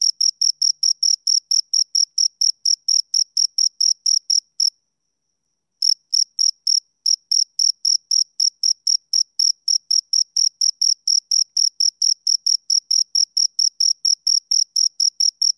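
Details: Close recording of two crickets giving rapid, even high-pitched chirps, about four a second, broken by a brief silence near the middle before the rhythmic pulsing resumes; otherwise quiet background.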